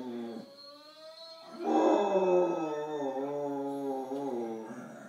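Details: Pet dog howling indoors while watching the movie Polar Express on television; a quieter opening tone, then a loud sustained wavering howl from about two seconds, holding steady with slight pitch wobble.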